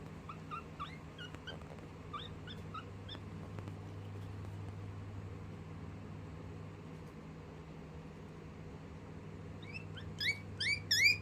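A guinea pig chirps in quick, bird-like, rising notes, a sound of fear.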